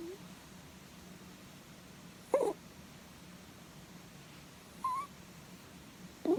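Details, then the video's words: A sleeping rabbit stroked on its head makes three brief, squeaky, wavering 'puu' notes spaced a couple of seconds apart over a steady low indoor hum. "Snoring Rabbit｜いびきをかくうさぎ"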